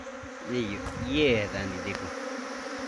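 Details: Single honey bee from a swarm buzzing close past at a trapping site near Chakrata, Uttarakhand, its whine rising and falling in pitch over about a second and a half against the steady background hum of the swarm.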